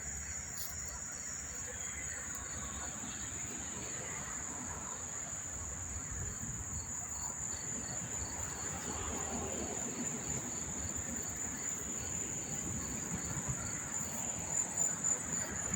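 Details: Many unseen crickets chirp in a steady, high-pitched trill over a low background rumble at Monmouth Park train station, New Jersey, on September 4, 2023.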